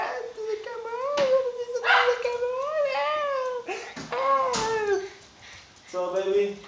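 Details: Pet Chihuahua indoors, prompted to 'talk' for the camera, gives long wavering whining moans that rise and fall in pitch across several seconds, broken by brief pauses, while a woman's voice speaks nearby.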